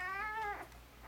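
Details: Newborn Golden Retriever puppy, four days old, born on Halloween, with littermates indoors; one high, tonal squeal rich in harmonics, held briefly, then sliding downward, lasting about half a second over a low steady hum.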